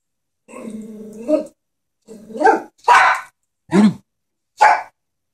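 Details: A frightened Chihuahua faces a stuffed animal horse. A rumbling growl breaks into a rising yap, and three or four sharp, clipped barks follow at roughly one-second spacing.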